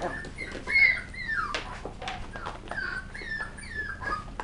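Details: West Highland White Terrier puppies indoors, playing at tricks and threats, give high, thin whistled whines that slide downward, several short cries over four seconds, with a quiet room hum underneath.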